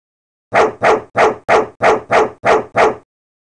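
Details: Domestic dog barking in a fast, even series of eight sharp barks over about two and a half seconds, each burst broad and punchy, from a farm animal sound collection; no other sounds.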